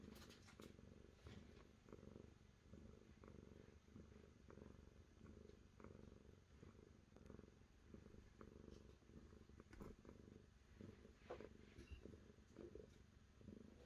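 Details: Domestic cat purring steadily and close, a dense low rumbling throb pulsing continuously through the whole stretch, with faint scattered clicks and rustles above it.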